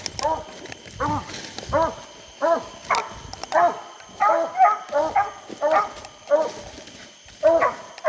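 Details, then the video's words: Hounds coon hunting at night in hot summer, English coonhounds baying in a steady series of loud ringing harmonic barks about every second, some bawls drawn out, a man speaking faintly in between. "Long live the sound of a hound"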